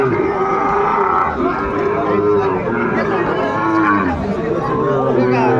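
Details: Low, sustained lowing from Sahiwal bulls at Dinajpur's Aftabganj cattle market, Bangladesh, 28 January 2025, droning on with little break beneath chatter and bargaining voices.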